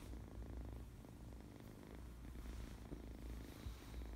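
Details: Purring from a happy, very playful kitten: deep, steady, vibrating rumble with closely spaced pulses, unbroken for the whole stretch.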